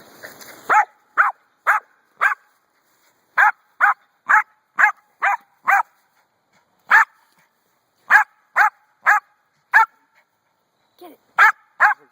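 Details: A dog barking at a rock: about eighteen sharp, mid-pitched barks in irregular bursts of two to four, with short pauses between groups, while a person nearby urges it on.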